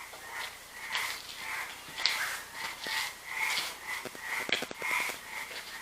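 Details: Frogs sing in the evening at La Peyrière, below a site with a basement. Their chorus of steady, rhythmic pulses rises and falls without pause, though it sometimes stops.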